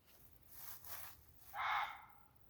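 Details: On a hot, sultry July night in tinder-dry Sherwood Forest, a Reeves's muntjac standing in bracken 20–30 yards away gives one loud, hoarse, reverberating bark under half a second long, after a few soft breathy rustles.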